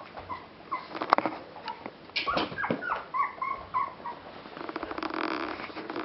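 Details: Pomeranian puppy giving short, thin whining whimpers and soft growly sounds indoors, with a few brief tonal squeaks in the middle and some rustling.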